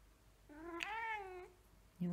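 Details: Very hungry house cat begging for food indoors, one long drawn-out meow that rises then slowly falls over about a second, rich in harmonics, with a low sound starting right after.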